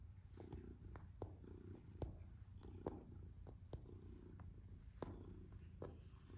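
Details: Male black-and-white domestic shorthair cat kneading, or making biscuits, while being fussed: soft, low rumbling purr in rhythmic swells about every breath, with faint clicks and rustles in a quiet room.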